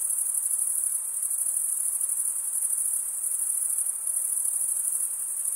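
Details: Unbroken high trilling of many chirping crickets, made by males scraping a comb-like wing vein, a bright metallic hiss-like buzz holding one pitch and level for the whole stretch, with no other noise.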